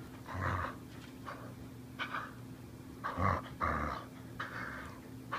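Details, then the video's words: Border Collie Ramona growls in low rumbling bursts as she savages her rope during play indoors, several throaty pulses spaced about a second apart, while a person keeps asking her to give it up. "Ramona the Border Collie kills her rope."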